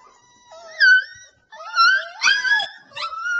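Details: A young Alaskan Malamute puppy wails indoors in long, wavering, high-pitched moans with rich overtones, several drawn-out cries in a row, broken by one short gap.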